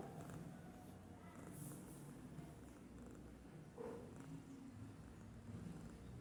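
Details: A domestic cat named Babul dozes idly and snores, giving a continuous gentle low-pitched purring rumble with faint higher ticks and rustles over it.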